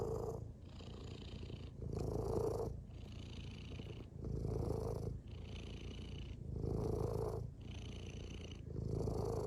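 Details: Close, rhythmic purring from a domestic cat, loud breathy phases alternating with quieter ones roughly every two seconds, each inhale and exhale clearly audible as a rasping rumble.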